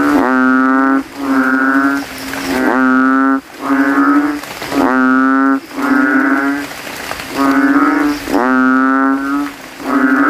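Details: After evening rain in a cemetery, kodok kintel (banded bullfrog) call from a puddle, inflating their throats to be loudest among rivals: eight or so deep, vibrating lowing notes, one roughly every 1.2 seconds, separated by brief quiet gaps.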